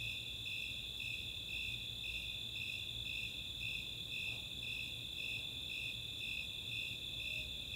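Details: Summer night chorus of Snowy Tree Crickets and Four-spotted Tree Crickets in the open space of Chautauqua, Boulder, Colorado: high pulsed chirps about twice a second over a steady continuous trill, with a faint high hiss above.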